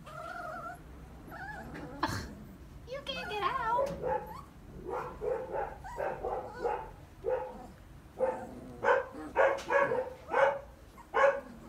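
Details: Three-week-old puppies in a pen, Mr. Black exploring while his litter-mates play and fight; after opening human speech, short high yelping whimpers repeat in quick bursts, roughly one every half second.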